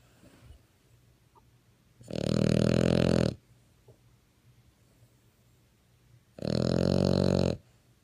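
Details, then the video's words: French Bulldog snoring: two loud, rough, rasping snores, each lasting just over a second, separated by about four seconds of quiet breathing. "Snoring French Bulldog"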